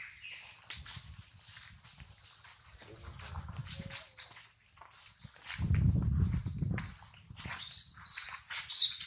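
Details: Baby monkey Adler, hungry and missing his mother, crying while held in the hands of a small monkey: shrill, high squeals in quick uneven bursts, with low rumbling handling noise in between.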